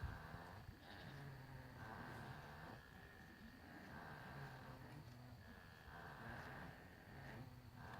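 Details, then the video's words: Several Nubian goats huddled in a barn corner after dark, snoring away with slow, rhythmic, breathy rasps that repeat every couple of seconds above a constant low drone. "Goats snoring in the dark"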